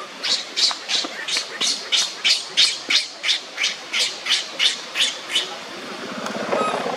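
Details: Crying on the ground as Libby torments him, the monkey Leo repeats strident, high squawks about three times a second in a regular rhythm, with a rustling noise rising at the end.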